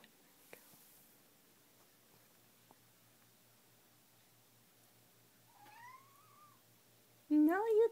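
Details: Ginger kitten indoors at night whining because it wants to go out onto the balcony and is refused; a faint rising whine is followed by a loud, drawn-out harmonic meow at the very end, with a person speaking to it just before.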